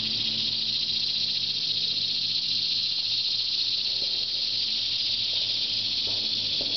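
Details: Cicadas singing in trees all around at Shawangunk Grasslands National Wildlife Refuge, around noon on 16 August 2009, their annual summer chorus: a steady, dense, high-pitched buzzing drone that never lets up.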